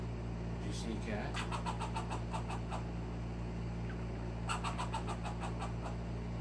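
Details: A baby squirrel gives its first alarm, rapid bursts of sharp clicking chucks warning of a cat in the backyard, over a steady low engine hum.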